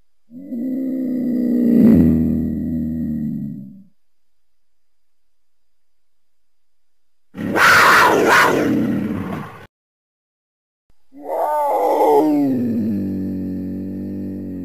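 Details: Leopard roar and scream: a deep, rumbling harmonic growl of about three seconds, then a harsh, raspy snarl, then a long moaning roar that starts high and settles low, with short silent gaps between.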